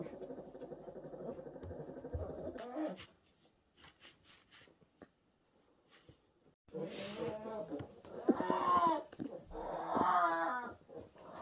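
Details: Newborn orphan brown bear cubs in rescue care, 2023: a steady buzzing hum at first, a pause with faint clicks, then loud, wavering, harmonic wailing cries.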